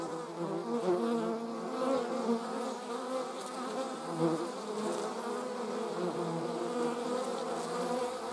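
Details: German wasps flying together, giving a thick, unbroken whirring hum with several overlapping buzz pitches that waver gently, louder pulses around the first and fourth seconds.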